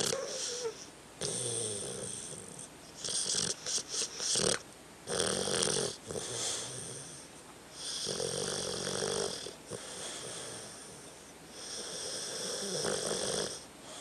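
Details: Tucker, a pet dog, sleeping and snoring indoors: a run of rough, rasping snores in bursts about a second apart, each breath carrying a wheezy, hissing high edge, with brief pauses between groups.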